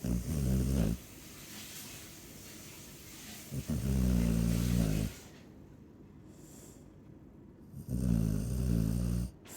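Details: A sleeping Chow Chow snores in three loud, low, rumbling bursts of about a second each, separated by quieter stretches of breathing.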